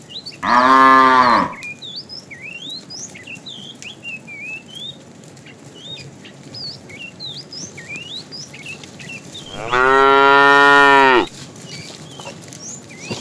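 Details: Afternoon herding of tame cows, with a fat bull calling the female: two strong, drawn-out moos about nine seconds apart over steady twittering birds.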